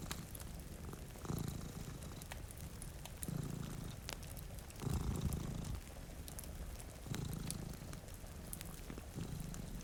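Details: Sleeping cats by a rainy window give a deep rumbling purr that pulses in slow breath-length waves, one stronger swell near the middle, over gentle rain and scattered crackles from a fireplace.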